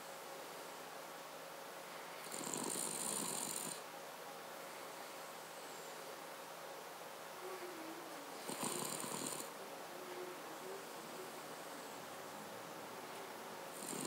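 A Cavalier King Charles Spaniel snores in slow, rasping breaths about every six seconds.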